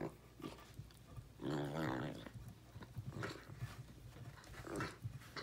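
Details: Bruno the Basset Hound chewing a birch beaver stick indoors, a drawn-out grumbling growl near the middle amid steady gnawing and crunching, with a softer grumble toward the end.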